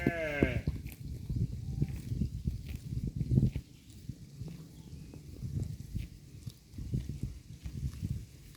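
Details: A pasture herd of cows tears and chews grass in low rustling bursts. A short, high harmonic call from another animal opens the recording before the steady munching takes over.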